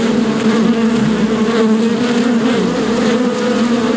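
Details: Bee buzzing: a steady, dense drone with a strong low hum and a second band just above it, continuous and unbroken for the full four seconds, slightly wavering in pitch.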